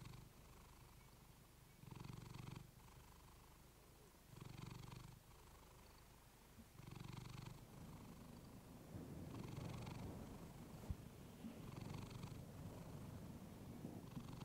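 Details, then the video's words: Female pet cat purring close to a fluffy microphone, low rumbling purr swelling in loud bursts about every two and a half seconds with quieter purring between, then a denser rough rumble with faint rustling in the second half. "Cat purring you to sleep with fluffy mic"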